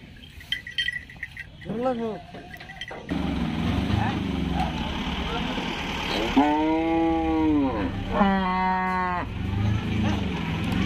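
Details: Cattle being unloaded from a truck at Paragram cattle market in 2021, one animal giving two long harmonic moos midway through, over steady crowd chatter, engine rumble and clinking.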